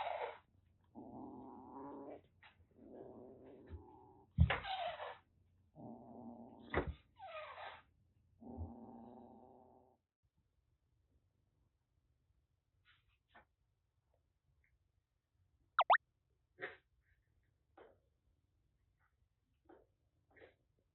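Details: Rescued kitten, formerly a stray, hissing and threatening, in Kagoshima, Japan: several harsh noisy hissing bursts in the first nine seconds, then quieter sparse clicks and short sounds.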